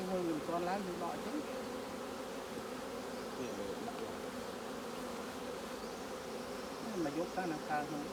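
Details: Honey bees humming steadily around an open hive during a honey harvest from fully capped combs, a dense low drone with occasional human voices over it.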